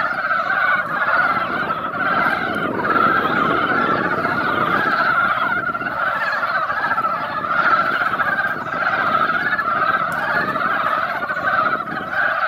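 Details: Mountain frogs crowd a once-quiet mountain pond after a light rain. A thick wall of overlapping croaks runs throughout, partly covered by a steady low rumble of noise.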